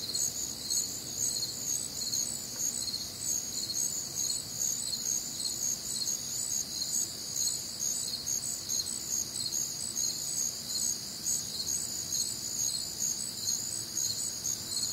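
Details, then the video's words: Many crickets calling through a warm, humid summer night in the American Midwest, their shrill, bright chirps overlapping in steady pulses roughly twice each second, with quiet low-pitched ambient noise underneath. "Night Time Cricket Sounds"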